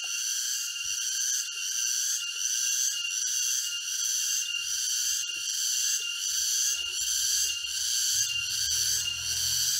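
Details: Cicadas singing in a forest near Jatiarjo, Prigen, Pasuruan, East Java, on October 23, 2020; a dense, continuous high shrill chorus with steady pulsing, plus faint low rumble from footsteps later.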